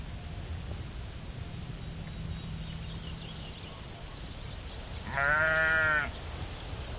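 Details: A sheep out on a field, quiet for several seconds of low rural noise before one short, strong, quavering bleat near the end.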